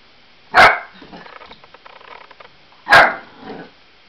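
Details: Two loud, sharp barks about two seconds apart from an 8-week-old Lab cross Australian Blue Heeler puppy scared of balloons, with light rustling and a brief soft yelp-like echo after the second.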